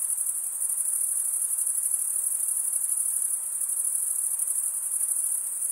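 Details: Crickets chirping: a steady, very high-pitched shimmering trill with a fine rapid pulse, unbroken from start to end, with no other sounds.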